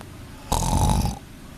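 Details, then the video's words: Sleeping kitten snoring: one rough, breathy snore of about seven tenths of a second with a faint whistling tone running through it, in a quiet room. "Anak kucing tidurnya ngorok"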